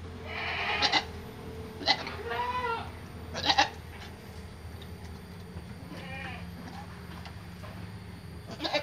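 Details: Kacang goat giving birth to a Boer kid on a farm: a few scattered, wavering bleats of differing loudness, mixed with sharp clicks and knocks, over a steady low hum.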